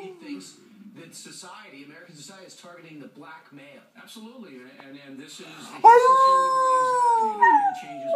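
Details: A newly adopted pet dog howls, set off by a person howling in the background to get him started. Low wavering human howls come first, then the dog gives one long, steady, slightly falling howl lasting about two seconds.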